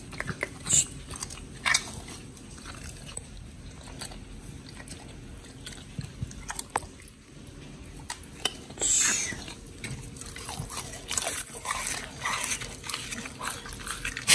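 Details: Raw-fed pit bull dogs Oli and Nommy crunching through giant white snapper, recorded 21 October 2023; sharp biting cracks and crunches spaced irregularly over quiet room tone, with one longer rasping tear midway.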